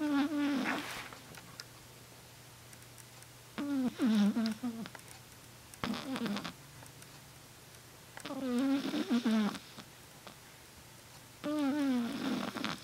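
A Shih Tzu snores in nasal, tonal bursts that slide downward, returning every few seconds.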